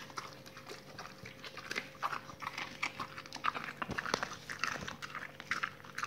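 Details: Dogs eating raw meaty salmon bones and raw chicken carcasses, recorded close up indoors: wet crunching and tearing bites, irregular cracks of bone and soft smacking, with a steady faint electrical hum beneath.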